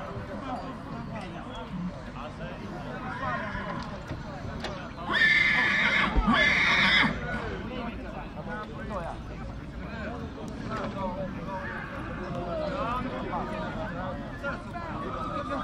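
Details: A young two-year-old stallion from Dăneștii Chioarului, Maramureș, Romania, lets out two shrill, trembling whinnies back to back around the middle, framed by steady human conversation and background chatter with faint hoof and movement noises.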